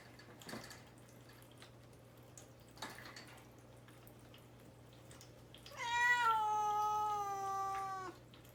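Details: Male cat confined to a cage before neutering surgery, fasting and wanting out: after faint knocks, one long plaintive meow of over two seconds, falling slightly in pitch, in a quiet room.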